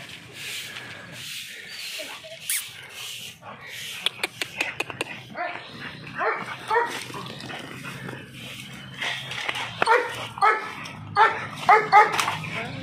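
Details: American Bully dog barking. Rough, scuffling noises come first, then short ringing barks repeat roughly once a second through the second half.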